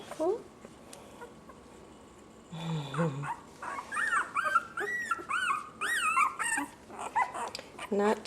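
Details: Puppies from a litter of six females whining: a burst of high, arching, squeaky whimpers, repeated and overlapping, with a person talking briefly in the middle.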